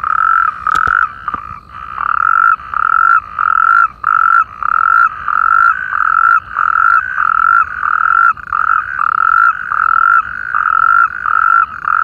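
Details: Natterjack toad chorus in irrigation canals by Perales del Río in the Parque Lineal del Manzanares: continuous run of rasping, steady-pitched trills from several callers overlapping, roughly one every half second, a brief sharp click near the start.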